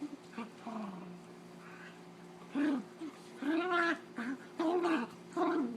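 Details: Holly, a dog playing and fighting with Zeus, voices funny noises: a quiet start, then longer warbling growl-whines with bending pitch, grouped in pairs toward the end.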